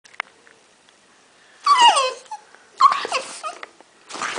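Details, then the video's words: Pet dog making strange noises: a quiet start, then three bursts of high, harmonic, falling yelps and whiny squeals, each lasting under a second. "My dog makes strange noises"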